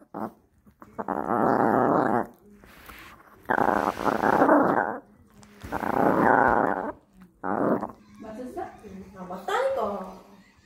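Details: Toto the dog guarding a beef rib growls in four separate rumbling bursts of one to two seconds each, with a person speaking Korean in between and over the last part.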